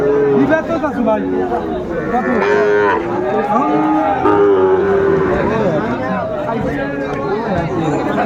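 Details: Sahiwal bull calves at the Ambari cattle market, bought by Faridpur farmers on 29 April 2024; several drawn-out, wavering moos rise over a busy backdrop of bargaining voices and crowd chatter.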